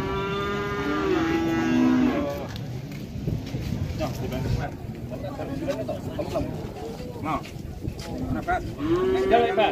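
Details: {'text': 'A loud, rich moo from jumbo cattle swells and falls over two seconds, followed by noisy bustle and talking, and another rising moo begins at the end.'}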